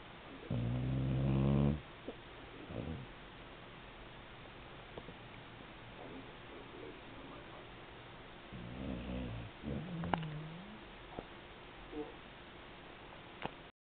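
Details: Female Beagle snoring while asleep: two drawn-out, buzzy, low snores about eight seconds apart, with quiet breathing and small rustles between them.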